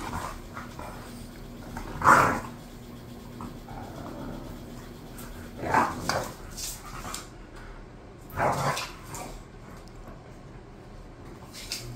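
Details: Two bored bulldogs at home giving three short rough bark-like bursts a few seconds apart against a quiet room background.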